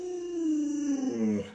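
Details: Alaskan Malamute named Luoluo, a pet dog reacting while its owner is sick in bed: one sustained, smooth tonal howl that slides gradually downward in pitch, with a brief wavering end.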